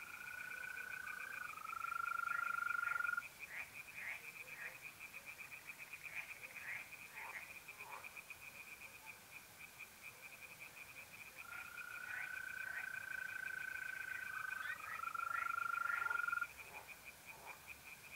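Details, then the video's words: Night chorus of tree frogs at a pond in North-East Italy, mid-April: a continuous rapid string of clicking croaks, with a mole cricket's smooth, level trill starting and stopping in two long bouts. "relaxing singing tree frogs in pond"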